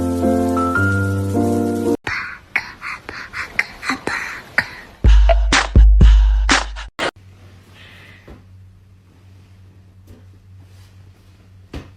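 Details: Short tune gives way to loud percussive thumps and bursts of music, then a quiet room hum with soft taps.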